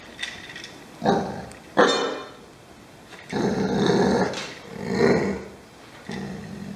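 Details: Pet dog growling in short noisy bursts, several rough rumbles over a few seconds with quiet gaps between them, some low room noise behind.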